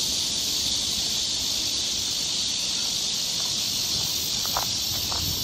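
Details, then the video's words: Summer cicada chorus on a forest trail in Seoul, Korea, a constant shrill hiss-like buzz filling the woods, with faint soft clicks or footsteps near the end. "cicada sound"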